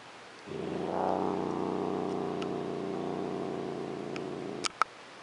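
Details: Domestic cat named Rose, a female who growls instead of purring while being petted and loved on, yet makes no attempt to run away; a steady low rumbling purr-growl lasting about four seconds, ending with two sharp clicks.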